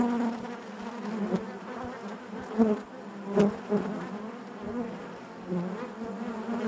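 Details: Honey bees humming inside their hive: a dense, continuous low drone with harmonic bands, swelling briefly several times where single bees buzz close, over a steady background hum.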